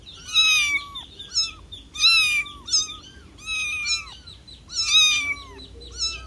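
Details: Kitten meowing for its mother in loud, high-pitched bursts, several cries crowding close together, some doubled, each bending downward at the end.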